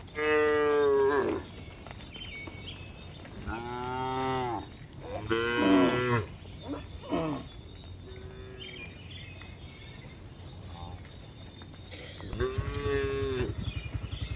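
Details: Cows walking on a hillside, mooing in a series of harmonic calls with short gaps. The moos are loud at first and again at the end, with softer calls in the middle.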